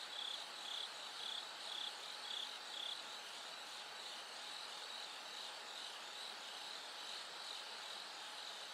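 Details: As night gradually brightens toward dawn, a bell cricket gives high, bell-like chirps about twice a second, strong at first and then fading softer, over a steady hiss and a faint low hum.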